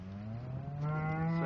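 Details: Shorthorn cattle among cows and calves at Slap Out, with thin cows and decent-looking calves: a low, steady moo that swells louder and brightens toward the end.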